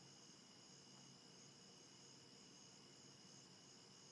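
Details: Crickets give a steady, high-pitched chorus of continuous trilling over a soft background hiss, recorded from a bedroom window on a very foggy morning, 1 September 2015, around 5:30 am.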